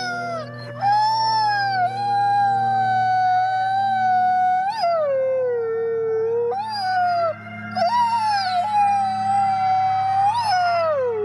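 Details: Fifty captive wolves at the Wolf Conservation Center in South Salem, NY, howl as one: layered long howls swoop, dip and climb again, with sharp rising breaks around five and eight seconds, voices overlapping continuously.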